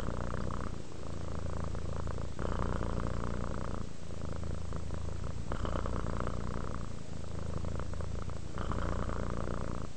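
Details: Sleepy house cat giving a low, even purr, rhythmic rumbling that rises and falls with inhalation and exhalation every couple of seconds, steady and unbroken, nothing else audible.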